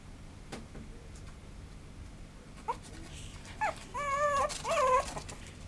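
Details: Maltipoo puppy whimpering: a few faint clicks and squeaks, then about four seconds in a run of high, thin, wavering whines that rise and fall, growing louder over roughly a second and a half.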